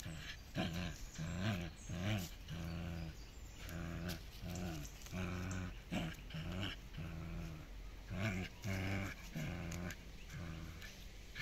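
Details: Playful tug of war between two dogs, Miko and Kaela, from a Netherlands kennel: steady low growls repeat roughly every second or less, each a harmonic rumble rising and falling, continuous throughout.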